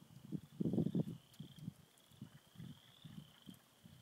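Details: Frogs at a beaver pond in spring, many of them present; low, knocking clucks come in short irregular bursts, loudest early on, over a faint steady high-pitched trill running the whole time.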